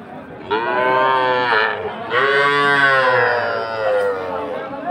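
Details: Sahiwal calves at a market in Ambari, Dinajpur, on Monday 20 February, give two long, loud, harmonically rich moos, the second held for nearly three seconds, over faint background talk.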